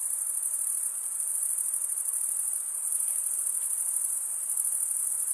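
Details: Crickets stridulating in a steady, unbroken high-pitched trill that shimmers without pause, with a faint soft hiss lower down and no other animals or voices.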